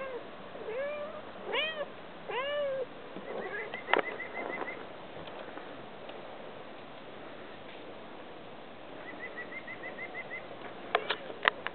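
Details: Sabrina, a female pet cat outdoors, meows to be let back into the house: three arched, mid-pitched meows in quick succession near the start. Later come faint repeated high chirps, scattered sharp clicks, and a few soft rising calls.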